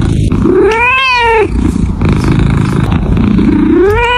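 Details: A domestic cat gives a drawn-out, bright meow that rises and then falls, then a low rumbling pause before a second meow starts to climb at the end; steady background noise runs underneath.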